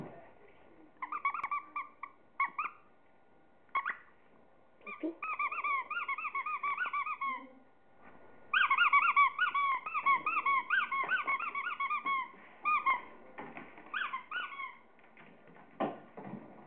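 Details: Chihuahua playing with toys, making bursts of high, rapidly warbling whines and squeals, some long and wavering, others short and clipped, with gaps of quiet rustling between.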